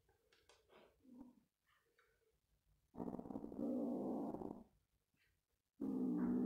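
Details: Male kitten living on a farm growls like a dog while guarding his toy: a long, harsh, steady rumble lasting nearly two seconds, then a second growl starting, preceded by a woman's soft speech.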